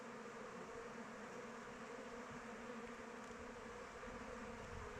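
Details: Many honey bees flying about their hive in open weather give a soft, unbroken drone at a steady low pitch, fairly quiet and evenly textured, with a faint hiss behind it.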